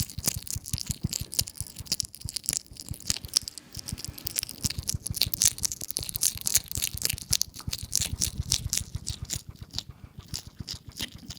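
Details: Hedgehog out on a lawn chomping as it feeds, captured on a RODE NTG 3 microphone: dense rapid crisp clicks and wet smacking over soft low rhythmic thumps, continuous throughout.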